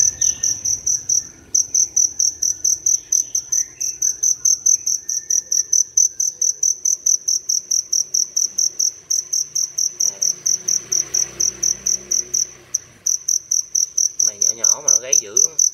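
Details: Dế lửa (fire field cricket) that wandered indoors in a city home early one morning, calling loudly from a crevice; high, piercing chirps repeat steadily about twice per second, with a short break near the start and faint human voices and rustling toward the end.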